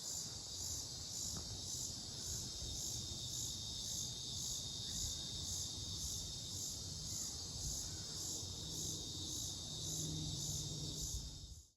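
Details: Unknown insects heard in Mankato, Minnesota, on 18 July 2025: a high-pitched pulsing drone, beats about twice a second, layered on a steady piercing tone, with faint low rumble, fading out at the end.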